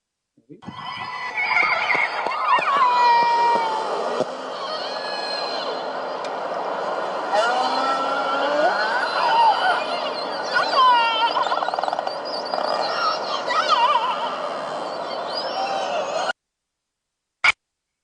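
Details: Bigg's killer whales in the Salish Sea call over one another in a steady stream of squealing, upswept and wavering tones. Some calls have a nasal, mewing edge faintly reminiscent of cats.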